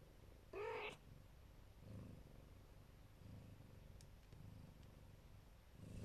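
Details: Siberian or Neva Masquerade mother cat protecting her kittens: a short, loud, harmonic meow near the start, then a soft, low, rumbling purr continuing through the rest.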